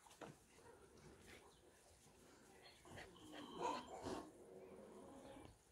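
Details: Several longcoat lilac German Shepherd pups, faint at first, then a burst of thin whining squeals and low grumbling whimpers midway, set against steady rustling and movement noise.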